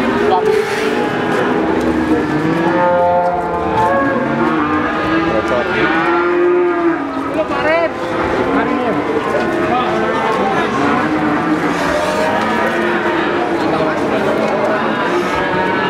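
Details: Many cattle at the Pon cattle market in Ambarawa, Semarang, lowing in long harmonic moos that overlap one another over sixteen seconds, some rising and falling in pitch, amid steady market chatter and bustle.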